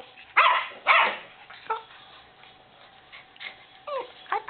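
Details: White Miniature Schnauzer puppies born 21 December 2012, playing with black-and-silver puppies: two loud sharp yelps close together, then short high falling whines near the end, with a person softly greeting the puppies.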